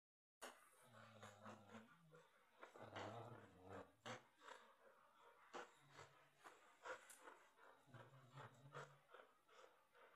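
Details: Samoyed and white Husky playing tug with a toy indoors: low rumbling growls in drawn-out bursts, several lasting over a second, with panting, breathing and scuffling in between.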